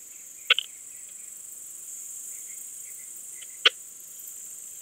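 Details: Balkan Speckled Bush-cricket singing at Vela Ucka, Croatia, on 10 July 2022, picked up with an ultrasound detector: two crisp ticks about three seconds apart against a constant hissing background.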